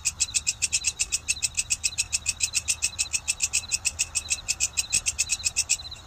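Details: Grasshopper known locally as walang kecek, giving a rapid train of sharp, high, rasping chirps, roughly three and a half per second, fairly even in loudness, with a soft low background hum.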